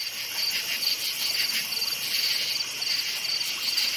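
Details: High crickets' chirps at night in a forest, short trills spaced about half a second apart above a thick shimmering insect chorus.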